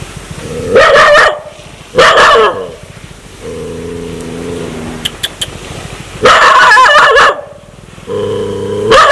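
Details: Dog aggressive and ready to bite: loud rough barks alternate with sustained low, even growls lasting one to two seconds. A few faint clicks sound between them.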